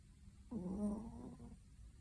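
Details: Pomeranian, a former rescue dog, snoring while asleep: one rasping, buzzy snore lasting about a second, steady and low, then fading into quiet breathing.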